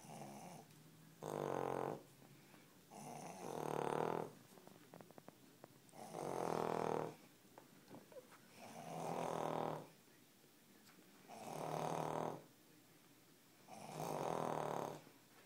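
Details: Two Cavalier King Charles Spaniels snoring while asleep indoors; harsh rattling snores alternate with quieter nasal exhales, a loud snore roughly every two to three seconds in a steady sleeping rhythm.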